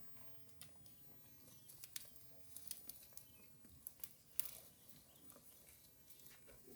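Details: Herd of cows grazing green grass at a roadside; sharp, crisp tearing and crunching snaps scattered irregularly over a soft, steady outdoor background.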